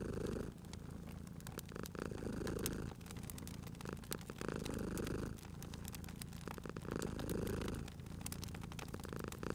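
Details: Domestic cat asleep by a fireplace, purring in a heavy low drone that pulses with each breath about every two and a half seconds, while firewood crackles and pops in the background.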